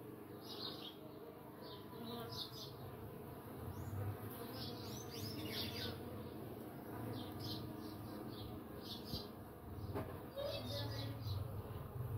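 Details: Uruçu nordestina stingless bees (Melipona scutellaris) entering their nest make a low, steady droning buzz, with faint bird chirps above.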